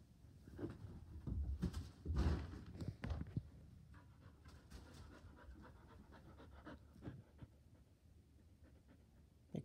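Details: Border Collie on a couch indoors, eager to play ball, panting in quick breathy bursts that swell loudest in the first three seconds, then fade to softer, irregular huffs.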